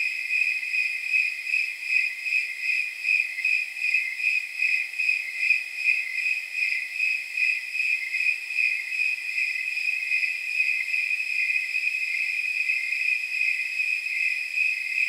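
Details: Night chorus of snowy tree crickets around 79 degrees, high jingling chirps regular at first, later blending into a near-continuous ringing trill as several callers overlap.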